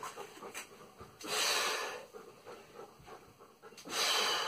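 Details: Salvo, a German Shepherd, at training; two strong rasping breathy pants rise out of quieter irregular breathing and rustle across under five seconds.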